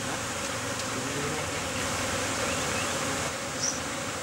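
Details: Honey bees at a newly set-up apiary in Gong Bris, a site surrounded by gelam (tea tree); a dense, continuous buzzing hum of many insects fills the clip at a steady level.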